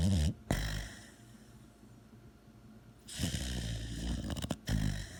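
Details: Dog asleep indoors, snoring in loud, rasping bursts, one long rough snore in the middle stretch and shorter snorts at the start and end, with quiet breathing between them.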